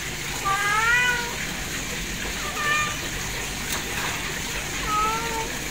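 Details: Three drawn-out kitten meows, each wavering then falling, spaced about two seconds apart over a soft steady background hiss.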